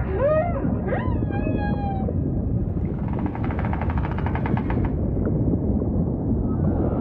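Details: Humpback whale phrases open with quick rising harmonic whoops and level tonal wails, then give way to a rapid buzzing pulse train lasting about two seconds, set against heavy low rumbling ocean noise.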